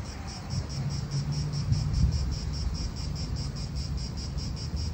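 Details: Cicadas in an Italian park: a steady high, pulsing buzz throbbing about three to four times per second, set over a heavy low rumble of wind and nearby traffic.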